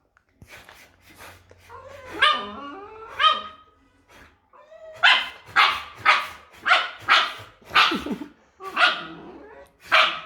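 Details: Dog crying and barking on hearing a recording of its own voice; a run of short harmonic yelps and barks, roughly one per second, louder and more regular in the second half, with music behind.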